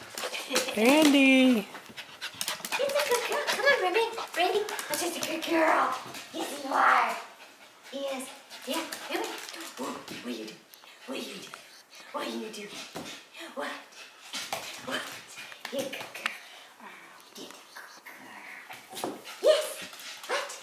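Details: Brandy, an AKC champion Havanese at 8 years old, recorded 7-6-15: a brief loud wavering harmonic vocalization early on, followed by steady rapid panting and breathy sounds, with a person's voice speaking over it throughout.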